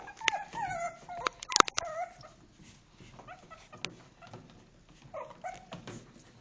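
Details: Two-month-old Shih Tzu puppies from a litter, indoors; thin high whimpers and whines with falling, wavering pitch, plus scattered knocks and clicks.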